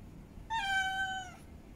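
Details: Female cat in heat wanting to mate, uttering one sustained meow just under a second long that starts slightly higher and settles lower, bright and harmonic, in a quiet room.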